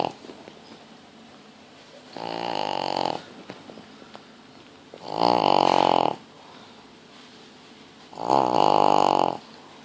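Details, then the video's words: Pug snoring while asleep indoors: three long, loud, rasping snores of about one second each, spaced roughly three seconds apart, with quiet breathing between. "Snoring Pug"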